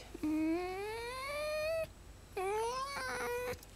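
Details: Tame fox indoors, said by its keeper to sometimes sound like a pig and to be both loving and biting. It gives two drawn-out, whining squeals that slide upward in pitch, the first about 1.5 seconds long and the second shorter and wavering.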